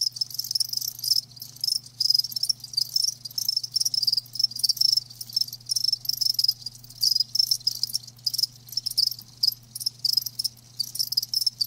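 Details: Crickets calling live, a continuous shrill pulsing chirp packed into quick bursts with brief pauses, a low steady hum faintly beneath.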